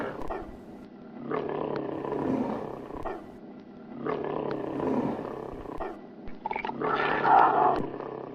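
A tiger gives rough, rasping roars in three heavy bursts, an angry sound made when fighting.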